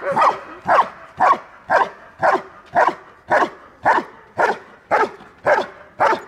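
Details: A Belgian Malinois trained as a bodyguard defends its owner in Dyukovsky Park, Odesa, Ukraine: twelve sharp, evenly spaced barks, roughly two per second, clean and regular with little else heard.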